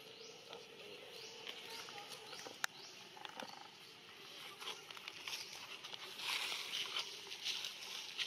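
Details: Eden, a monkey living around Angkor Wat in natural habitat, gives short cries while Grandma Elsa keeps training it. Thin rising squeals sweep upward in quick succession early on, over a steady insect hiss and some patter.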